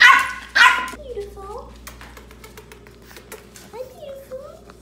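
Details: Boston Terrier puppies at home, from a trio of females named Panda, Koala (12 weeks) and Grizzly (9 weeks), playing indoors: two loud sharp yelps open, then soft wavering whines rise and fall twice amid quiet room noise.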